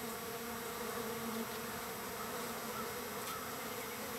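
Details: Many wild bees gathered at a feeding spot on the third day of feeding, a dense swarm producing a steady low droning hum with two even tonal bands, continuous and unbroken throughout.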